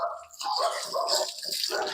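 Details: Pet Rottweiler puppy whining in a run of high, strained whimpers and short yelps that rise and fall without pause across two seconds, with a person coaxing it in Filipino nearby.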